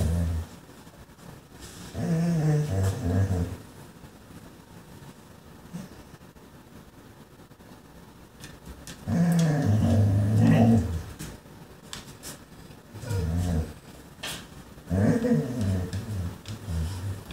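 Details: German Shorthaired Pointer reacting to a chipmunk, its first real sighting of the year; intermittent low, groaning whine-growls come in four separate bursts with quieter gaps between them.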